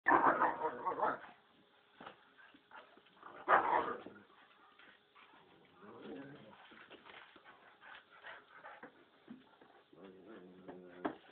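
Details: A five-month-old pit bull and a three-year-old German Shepherd fighting: loud harsh barks and snarling bursts near the start and around four seconds, then lower growling and scuffling, with some human speech mixed in.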